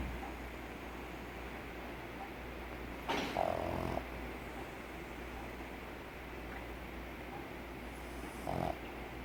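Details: Snoring pug dog: two rattling snores, the first longer and louder, the second brief, about five seconds apart, with soft breathing and a low steady hum between them.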